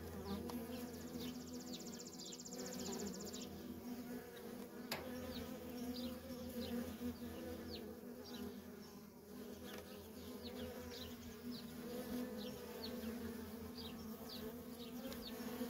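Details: Nonstop traffic of worker honey bees at a feral colony: a dense, steady droning hum with a low fundamental and a layered overtone, while small birds chirp faintly and briefly in the background.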